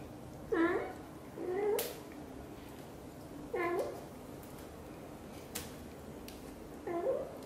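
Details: Xaxa, a blue golden British Shorthair mother cat, talks nonstop while grooming her tiny kitten Piano: four short, bent meows with clear overtones, spaced about two seconds apart, over faint rustling.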